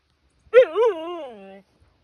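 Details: Siberian Husky, a pet dog upset that no one wants to play in the rain, gives one drawn-out whining howl of about a second: a sharp high start, a brief wavering rise, then a slow fall to a low tone.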